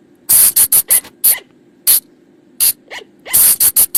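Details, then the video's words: Night lure call of the flying lemur, known in Thailand as บ่าง or พะจง: rapid harsh hissing bursts in tight runs, with a few thin rising squeaks between them, and a constant low background hum. "เสียงต่อบ่างป่า หรือพุงจง,พะจง flying lemur sound"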